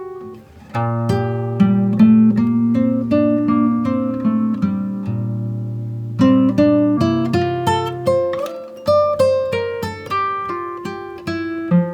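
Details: Gentle acoustic guitar melody with picked notes and a brief pause near eight seconds.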